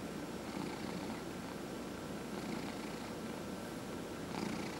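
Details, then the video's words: Elderly male pet cat, aged 14 and a half, purring as his head is massaged; a steady low vibrating drone with faint rhythmic swells as he breathes, soft light rustles above it. "Cat Purrs During Head Massage"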